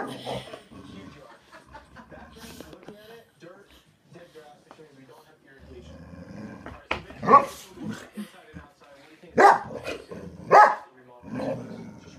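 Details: Boxer dog at home barking at a ceramic French Bulldog figurine it meets for the first time; soft talking and low noises for seven seconds, then loud sharp barks near the end, with people speaking between them.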